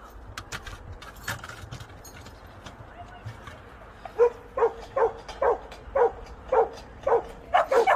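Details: Two adopted Jindo dog sisters in Chuncheon, born in Naju in October 2020: scattered faint clicks and knocks at first, then a regular run of clear barks roughly every half second during the latter half.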